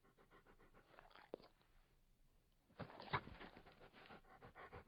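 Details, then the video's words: Labrador Retriever panting softly in quick, irregular breaths, a quiet stretch followed by a louder burst of rapid huffing near the end. "Sonido de un Labrador Retriever"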